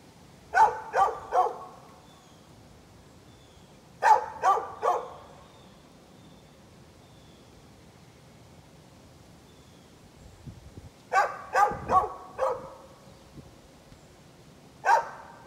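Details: A neighbour's dog barking, recorded 13 November 2020: short sharp barks in quick bursts of three or four, several seconds apart, with a quiet pause before the later bursts.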